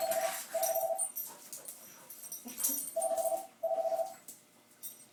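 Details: Roo and Cupid, two puppies from one litter found in a cooler at Christmas, play-fight indoors; steady buzzy whining growls pulse in four sustained bursts, each about half a second long, with scuffling and soft thuds in between.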